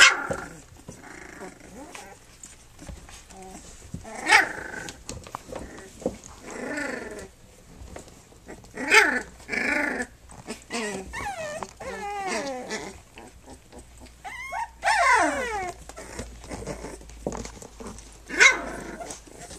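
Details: A three-week-old litter from Flute, nursing and playing; a busy mix of squeaky whines, bent yelps and rough little growls overlapping throughout, with several louder squeals standing out.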